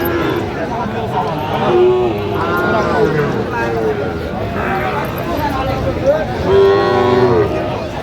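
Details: Moos from Sahiwal bull calves at a Mymensingh cattle market, Bangladesh, on 11 October 2025, one near two seconds and a longer harmonic low around six to seven seconds, set against busy talk from buyers and sellers.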